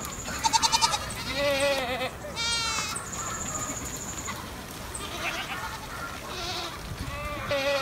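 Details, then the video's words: Stray goats above Sasa giving loud, quavering bleats in short bursts about once a second, some harsh and some thin and high, over a steady hiss and scattered high tinkling notes. "Αδέσποτα κατσίκια πάνω απ΄ τα Σασά"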